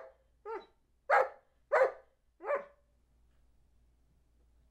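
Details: Counting on cue, Charlie B., a two-year-old Old English Sheepdog, lets out five short, gruff barks about half a second apart, then falls silent in a quiet room.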